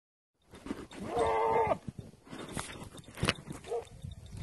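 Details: Beetal goat, a mother with her kid; one loud, harmonic, slightly wavering bleat lasting about half a second, followed by rustling, knocks and a brief second bleat near the end.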